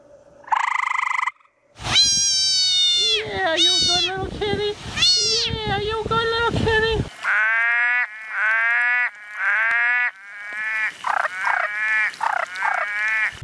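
Frogs give nasal, bleating calls in loud bursts, then shorter repeated notes.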